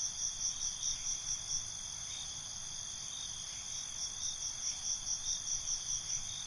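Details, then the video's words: Crickets calling at night, a bright, piercing trill held steadily while quick rhythmic chirp pulses come in short groups, with gentle low ambient noise beneath. "Cricket Conversations"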